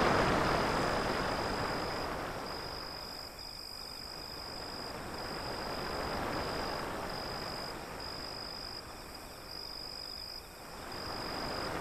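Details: Crickets give a thin, high, pulsing trill broken into short bursts, set against a loud rushing wash of sea waves that swells and fades.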